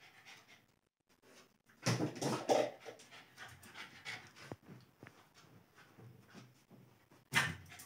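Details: Lhasa Apso puppy named Alice panting while playing indoors, breathy rapid huffs in bursts with scuffling noises and a sharp knock near the end.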